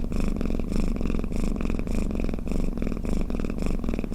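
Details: Cat snoring or purring: a steady low rumbling throb, pulsing rhythmically about every half second, continuous throughout with no other sounds.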